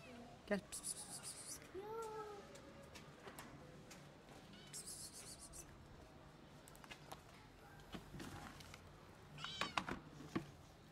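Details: Recovered stray kitten reunited with her twin brother after treatment; several faint, short meows scattered among a man's speech, clapping and handling noises.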